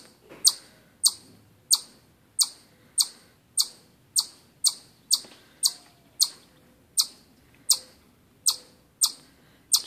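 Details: Repeated chipmunk chirps: loud, piercing single chips evenly spaced about every 0.6 seconds, around sixteen in total, with a clean quiet background between notes.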